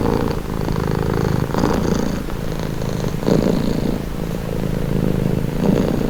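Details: Purring domestic cat, a deep buzzing rumble running without pause, its breath-driven pulses less even here, with brief louder swells near the middle and the end.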